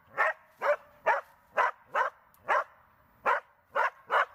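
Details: Border Collie named Tara during search and rescue training, giving a series of nine sharp, evenly loud barks spaced about half a second apart, with short pauses and one longer gap before the final three.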